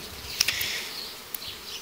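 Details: Hive of honey bees in early summer during queen isolation into small helper colonies by the beekeeper; a soft, continuous high buzz from many bees, broken by a few sharp clicks near the start and middle.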